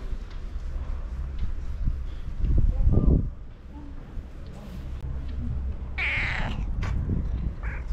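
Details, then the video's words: A female cat greets her owner on seeing her, meowing in her distinctive voice. Speech is heard first, then one short harmonic meow near the end, over constant low background rumble. "When Oreo cat saw me, she started to meow with her unique voice and came up to me"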